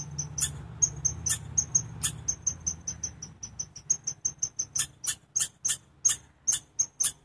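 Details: Sharp, high-pitched chipmunk chirps repeating quickly and evenly, several per second, with a low droning hum beneath the opening seconds.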